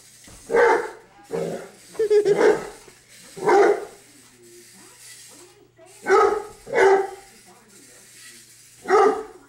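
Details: Dozer, a 7-month-old English Mastiff, chases a remote control buggy car around the house, giving loud, deep single barks in uneven bursts, about seven over nine seconds, with quiet gaps and faint human voices between.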